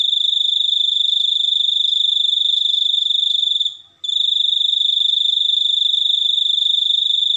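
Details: High-pitched cricket trill, fast regular pulses held for several seconds, a brief gap near the middle before the insect resumes its unbroken chirping.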